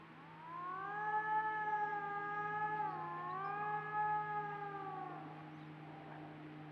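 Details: On an autumn trail cam, coyotes give long, wavering, siren-like howls that dip briefly in the middle before rising again. One farther coyote howls, and a nearer one howls back louder while approaching the camera.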